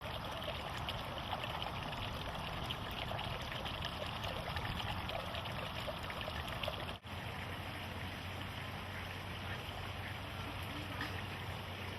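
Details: Steady rushing and trickling water, like a stream, with no animal voice heard.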